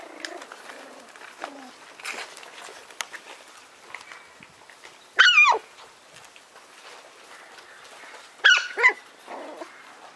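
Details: White Schnauzer puppies from a litter of seven brothers born on 3 September; two loud high whining yelps with wavering pitch near five and eight and a half seconds, between softer scattered squeaks and rustling.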